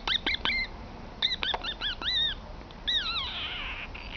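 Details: Emka, a wild 10-week-old female Italian Greyhound puppy at play, lets out rapid high squeaky yelps in quick bursts. Some squeaks bend up and down like short whines, and a final drawn-out squeal trails away.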